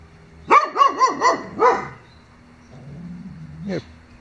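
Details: A neighbour's dogs give a run of four rapid barks and then one more, each bark sharp with rich harmonics. Afterwards comes a faint low voice and a brief rising yelp.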